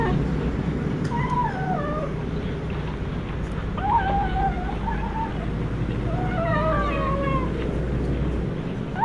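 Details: Hungry cat eating fish alone and not sharing its food with its mother; several wavering, falling meows with harmonics come in short bursts over steady low background hum.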